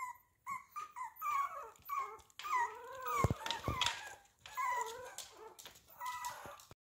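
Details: Miniature Pinscher dog indoors giving a series of high, thin, wavering whines that slide up and down, in several bursts with short gaps between them, and a couple of soft thumps midway.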